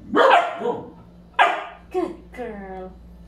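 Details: Three-month-old Labrador Retriever puppy giving a few short harmonic yelps and barks, the first loud and ringing, then a longer whining call with clear overtones near the end; indoor hum in the background.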